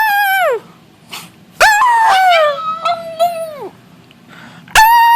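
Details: Pet dog howling and making noises together with its owner: drawn-out falling howls, one long wavering howl of about two seconds, then a fresh howl starting at the end.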